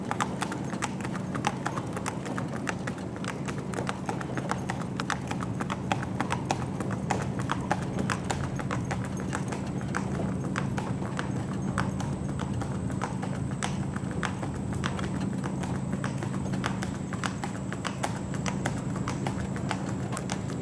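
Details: Hooves of a bay Tennessee Walking Horse on an East Texas trail ride near Marshall, with a young rider: steady, fast clip-clopping throughout over a constant low droning hum.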